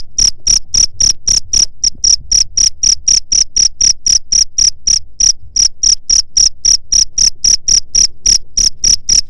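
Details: Cricket sound used to drive away rats: loud, high chirps pulsing about four times a second in a steady run, each a sharp bright burst with a brief gap near the five-second mark.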